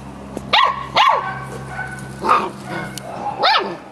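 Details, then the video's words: A Samoyed puppy chats back and forth with a Labrador, giving four clear, high-pitched yelping barks, two close together at the start and two more spaced later, over a faint steady hum. "Filhote de Samoieda conversando com labrador/ Samoyed puppy chatting with labrador"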